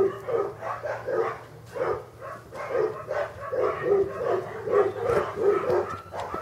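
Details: English Cocker Spaniel puppies born in August 2011 at a breeding kennel, a litter whimpering and yelping together in a steady overlapping chorus of short, high, tonal cries with no pauses.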